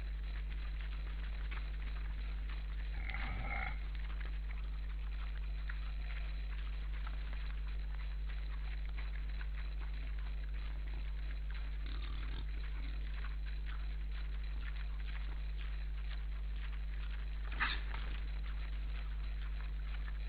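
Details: Wild boars at an Estonian forest camera on 2012-12-12, eight animals at first, two of them calling back and forth; a short harmonic squeal near the start, then a few low grunts, over steady electrical hum and rustling movement.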